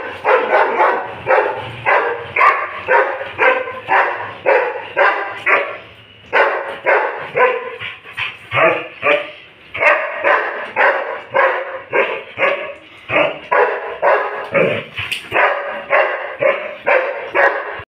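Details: Doberman barking loudly and steadily, deep harsh barks repeated about twice a second in short runs with brief pauses, continuing for the whole stretch.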